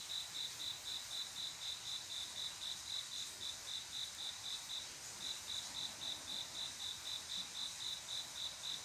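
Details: A cricket's high, steady chirping pulses repeat about four times a second on a quiet summer night; cricket song is mostly males calling females to mate.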